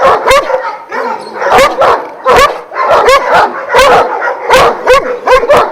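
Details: Twelve Šarplaninac shepherd dogs, Vujanski lineage, kennelled in Jasika near Kruševac, bark in a noisy group; heavy barks recur roughly every second and a half over continuous yelping from other dogs.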